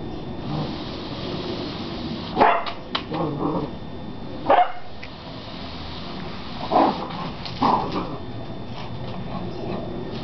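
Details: Beagle puppy, 11 weeks old, indoors confronting a broom: four short, sharp high barks spaced a couple of seconds apart over a low rustling background.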